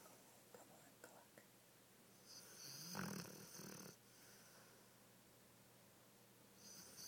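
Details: Flora, a large Dogo Argentino, snoring while asleep and dreaming, with sleep running: one long, harsh, rasping snore swells and fades over about a second and a half mid-clip, between softer breaths and faint rustles in a quiet room.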